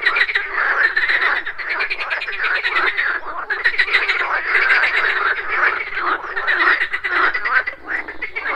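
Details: Morning pond chorus of many frogs croaking together, continuous rattling pulsed croaks that swell and ease in waves every second or two, with insect buzzing mixed in and no other clear sounds.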